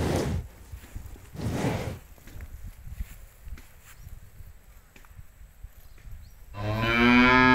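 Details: Cows grazing freely in an empty rice field; a quiet stretch with soft scattered noises follows two broad noisy bursts, then a low, harmonic-rich moo starts near the end and carries on to the close.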